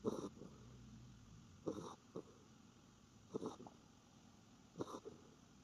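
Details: Sleeping Norfolk Terrier, face turned toward the camera, snoring softly: four raspy breath bursts about every 1.6 seconds, each with a short rattling tail, over a quiet indoor background.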